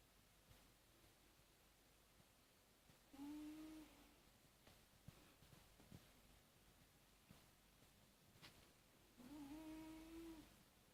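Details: A 10-year-old male British Shorthair cat snoring in deep sleep, as he always does. Two drawn-out, steady, low humming snores come about six seconds apart in a quiet room.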